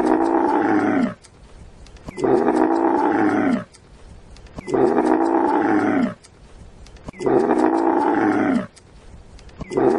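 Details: Dromedary camel giving loud, harsh, drawn-out roaring moans, each about one and a half seconds long, repeated steadily every two seconds or so, with short quiet gaps between.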